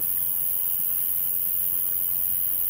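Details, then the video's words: Crickets in the grass by a riverside in France give a steady, unbroken high trilling with a fainter shrill hiss above it, in a quiet spot later in the day. "Il y a juste une famille ici et tout ce que vous pouvez entendre est le bruit des grillons dans l'herbe. Écoute ça."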